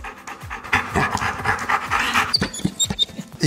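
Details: A Golden Retriever being petted and tapped, which loves the attention, pants in quick, breathy bursts, with people talking nearby.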